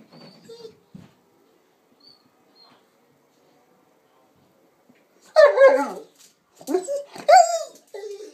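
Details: Pet female Presa Canario and Rottweiler cross Sanza, young, talking: after soft low sounds and quiet, a burst of grumbling, wavering yowls and whimpering notes in uneven bursts, with faint human speech early on.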